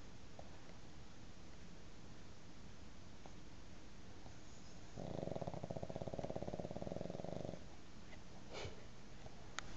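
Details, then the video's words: Sleeping pug sharing a bed with a cat indoors, dreaming: one sustained, rattling snore of rapid pulses lasting about two and a half seconds mid-clip, with faint clicks and soft rustles before and after. "Pug snoring and dreaming"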